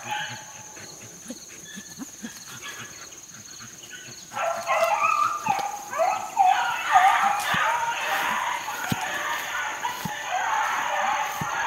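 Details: Four-month-old Beagle pups working in the field in 2013. Near-silence opens the recording, then after about four seconds a loud chorus of overlapping yelping bays breaks out and carries on unbroken to the end.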